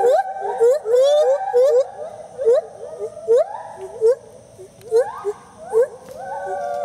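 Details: Two rescued gibbons at a rescue centre in South Carolina duetting: clear rising whooping notes near mid pitch, repeated in quick bursts with swooping upward slides, overlapping voices and fainter echoing calls between phrases.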